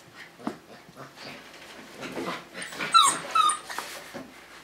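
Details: Tamaskan Dog puppy, five weeks old, during the Puppy Culture box game, gives soft, reedy whines with a couple of sharp, high whistled squeaks near the end; little human talk.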